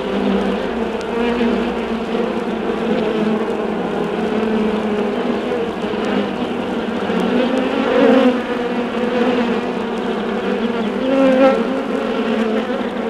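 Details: Hive of honey bees left undisturbed, producing a loud continuous hum whose pitch wavers gently, with a few brighter swells around eight and eleven seconds and scattered vinyl pops.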